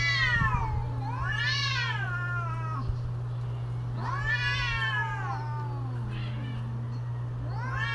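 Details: Mating-season cats trading long harmonic yowls, three arching wails that swell and sag across eight seconds, with softer low moans between them and a constant low electrical hum underneath.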